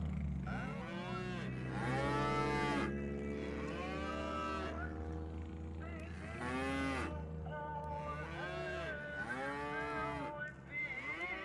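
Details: Tame village cattle driven home to the pen together on a small farm; several overlapping cows moo in long, bowed calls, some higher and some deeper, over a low background hum.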